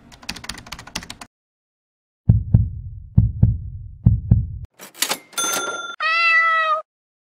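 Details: A British Shorthair kitten at a pet shop gives one clear, drawn-out tonal meow near the end, after knocking and tapping sounds from play.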